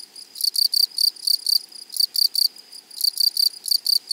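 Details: Grasshoppers in a flowery meadow or prairie: sharp, buzzy, high-pitched chirps come in quick bursts about four times a second, in two runs with a brief pause near the middle, over a quiet background.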